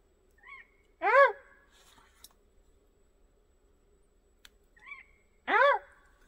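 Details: A red fox calling near a campervan in a forest, two loud hoarse barks about four and a half seconds apart, each preceded by a faint higher squeak, with a quiet steady hum underneath.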